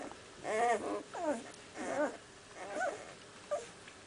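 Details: Six-day-old puppies of one litter, recorded in April 2008, whining in a run of wavering, bent squeals, each under half a second, followed by softer, shorter whimpers and a final brief squeak.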